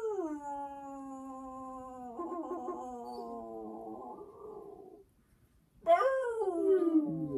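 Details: Pet dog howling on April 25, 2017, prompted by its owner: a long, falling howl that settles and holds for about five seconds, then after a short pause a louder, higher yelping howl that slides downward.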